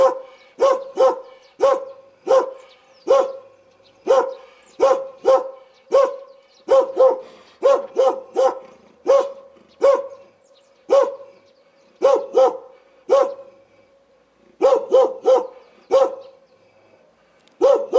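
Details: Dog barking repeatedly, about thirty short sharp barks over eighteen seconds, mostly single or in quick pairs with brief pauses, each with a strong mid-pitched tone and clean background.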